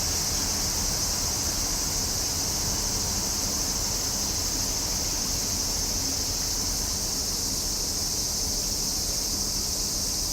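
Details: Cicada song on a summer day, a constant shrill sizzling drone with no breaks or pauses, very even in loudness from start to finish, over a soft low background hum.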